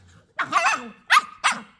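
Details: Twelve-week-old female Staffordshire Bull Terrier puppy throwing a tantrum while being told off indoors, answering back with three sharp, high yappy barks, the first drawn out and rough, then two quick clipped yaps, as a woman scolds.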